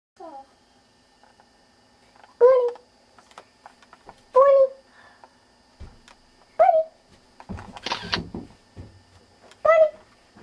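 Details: Bernie the dog indoors, giving four short tonal barks spaced about two seconds apart, each with a clear voiced pitch and stacked overtones; faint talking and household noise between them, plus a brief noisy burst near the end.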